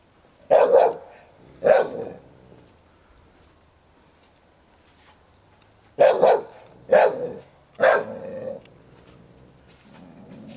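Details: Sherlock the ten-year-old Hovawart minds his toy as young American Staffordshire Terrier Heini, one year old, stirs him up; two barks, a quiet gap, then three more, some trailing into a growl.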